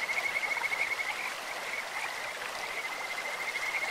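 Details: In a clear-flowing stream, Kajika frogs give a high, pure trill of fast, rattling pulses, strongest in the first second, then fading and returning, all over continuous rushing water.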